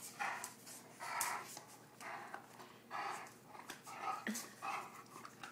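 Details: Greater Swiss Mountain Dog named Bruno, indoors while the house was under construction; rhythmic breathy, noisy bursts repeat roughly every second with a few sharper vocal sounds, while a person talks nearby.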